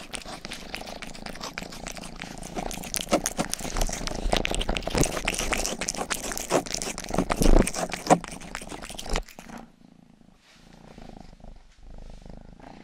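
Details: Rangi, the youngest pet cat, grooms close to a binaural ear microphone indoors: nine seconds of wet, rapid licking strokes over a low steady purr, then quieter purring with occasional soft rustles.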